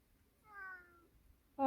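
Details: Domestic mountain-village cat, subdued by grandma's firewood chopping, meows again when she asks whether it doesn't want to help; a clear, drawn-out meow falling slightly in pitch, followed at the end by a woman's voice.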